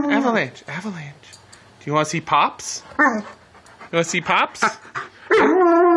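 An Alaskan Malamute 'talks' in short, wavering howls, trading sounds with a person speaking to it.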